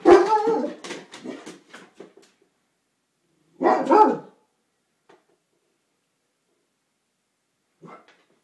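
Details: Newfoundland named Hendrix playing over a bone indoors in a house with Lacey, a Great Dane. A rough, harmonic bark opens a quick run of barks and grumbles. A single loud bark follows near the middle, then a faint short bark at the end.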